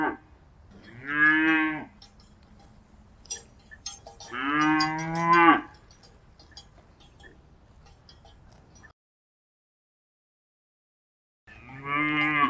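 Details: Cows in pastures and by rivers give long, drawn-out moos, each lasting about a second with a rich, harmonic tone.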